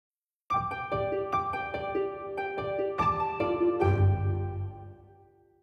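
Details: Plucked harp notes ring out in a gentle, slow melody after a moment of silence.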